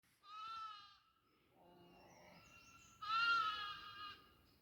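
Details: Goats bleating on a goat farm: two loud, nasal, wavering bleats, the first short, the second longer and stronger after a quieter stretch of softer bleating between them.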